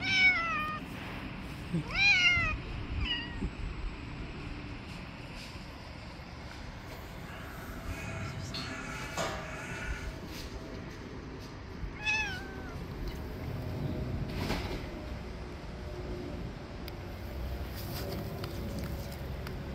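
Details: Cat, a male annoyed at being fed late, nipping a finger: a quick cluster of short wavering meows at the start, a lone bent meow later, and long stretches of rustling and background noise between them.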